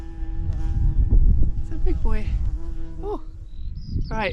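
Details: A big bumblebee gives a low, steady droning buzz outdoors in the Scottish Borders, overlaid by a person talking and wind rumble, with a cuckoo and sheep nearby.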